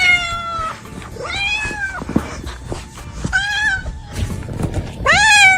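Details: Cat meows offered as sounds to attract cats: several short arched and upward-sweeping mews overlapping a busy background of low thumps and clatter, the last meow rising sharply and loud.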